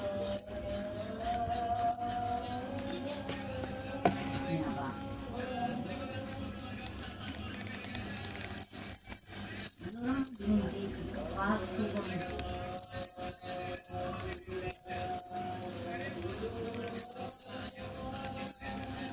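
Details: Cricket chirps, sparse at first, then grouped in quick bursts of bright, high pulses over faint voices and low tonal background sounds.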